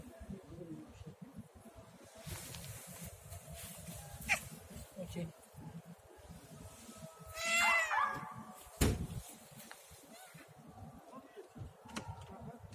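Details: Domestic cat gives a single drawn-out meow, rising then falling, over a steady low rumbling background with faint clicks and a sharp knock just after it.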